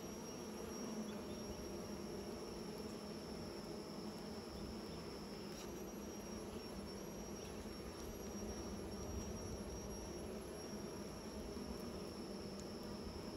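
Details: Unbroken low drone of many bees making new nests, even in volume, with a thin high whine running throughout and a couple of brief clicks.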